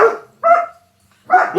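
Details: German Shepherd Dog puppies barking: three short, sharp, bright barks in under two seconds, the first trailing off, then a brief bark and a final one after a near-silent gap, no other sounds.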